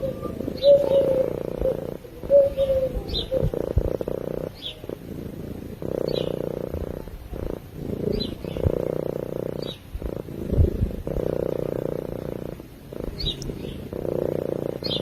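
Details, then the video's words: Purring from a cat asleep, a low rumbling pulse rising and falling with each breath in roughly two-second cycles, with brief thin chirps and a couple of short whistled notes behind it. "Cat Purring While Sleeping"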